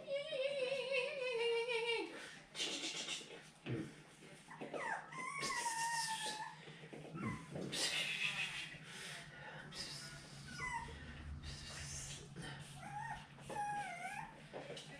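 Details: Seven-week-old puppies from Fancy's litter, handled and played with indoors on 10/18/2020 while their pen is changed; high, thin whimpers and whines, some sliding downward, recur through the stretch, mixed with soft affectionate human talk and rustling.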